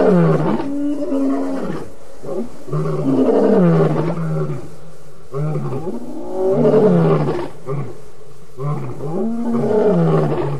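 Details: Evening roaring by wild lions at the Djuma Waterhole, August 11, 2016: a series of four heavy, rumbling roars, each a low groan that sags downward, spaced about every two to three seconds.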